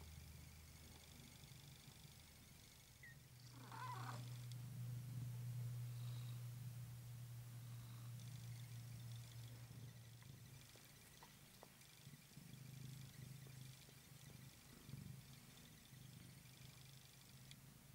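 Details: Ocicat kitten, chocolate spotted silver, eleven days old; a low, steady purring rumble swells between four and ten seconds, then continues more softly with faint background hiss.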